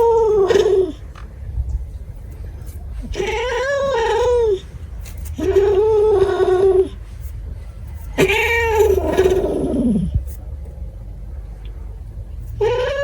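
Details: Cat meowing repeatedly, four long wavering cries roughly every two to three seconds, each starting strong and sagging in pitch, the last drawn out and falling, over a faint room hum.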